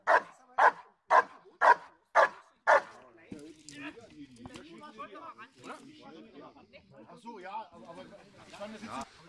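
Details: Six powerful, regularly spaced barks from Giant Schnauzer Blackmoore Uno at protection work training on 5 January 2019, followed by German conversation between men filling the rest.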